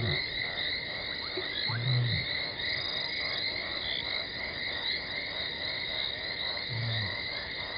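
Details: Talamati the lioness gives low contact calls on 17 December 2020, ahead of arriving at Gowrie dam on Djuma Game Reserve, Sabi Sand Wildtuin, South Africa, from a fixed waterhole camera; two brief deep grunting moans, five seconds apart, under constant shrill insect buzzing.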